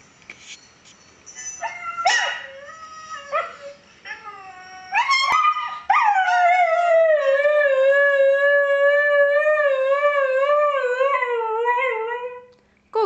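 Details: Kiva, a female Siberian Husky, sings with her owner: short rising yips and whines, then a long sustained howl with a gentle wavering vibrato lasting about seven seconds, falling slightly at the end; brief human voice before.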